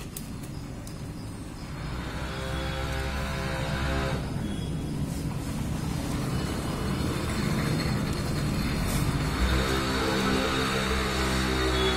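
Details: Outdoor street din of passing vehicles and engine rumble with faint music, no animal call audible.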